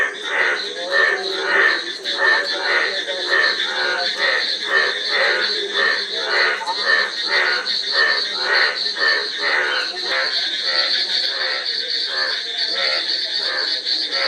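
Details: Dense frog chorus of rapid, grating croaks repeated almost twice per second, several callers overlapping, with a constant shrill drone running high above them throughout.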